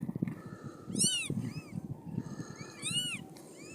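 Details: Siamese cat giving birth to five kittens; two bursts of high, arched mewing calls with bright harmonics, each a quick rising-then-falling squeal followed by a softer short mew, over low rustling and handling noise.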